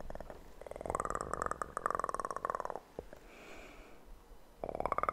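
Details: A kitten's close, dense purr: fine rapid pulses in a long run through the first three seconds, a quieter gap with faint rustling, then the purring starts again.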